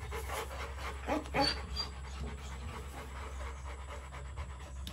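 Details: In their kennel, Rottweiler puppies Bruno and Dora give a brief run of quick breathy pants, strongest early on, then fading into a quiet steady hum.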